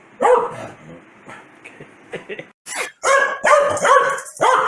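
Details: Corgi Foxy, mad at a sneeze, gives one bark, some softer grumbles, then a fast volley of loud yapping barks.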